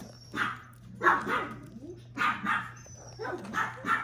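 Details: Puppy filmed on 10 March, giving a quick run of sharp, bright yapping barks in pairs and singles, about six in four seconds, indoors with a steady low hum behind.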